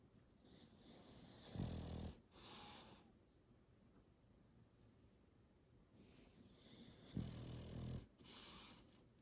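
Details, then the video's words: Sleeping English Bulldog snoring as it is petted, two low, gravelly snores roughly five and a half seconds apart, each followed by an airy exhale, with brushing sounds of a hand stroking its wrinkled coat. "Snoring Wrinkle Immersion…Petting a Slumbering English Bulldog"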